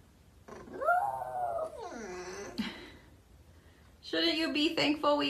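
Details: Pet dog indoors giving a long howl that rises then slides down, followed by a second lower falling note and a louder, rougher wavering howl at the end, with faint background noise.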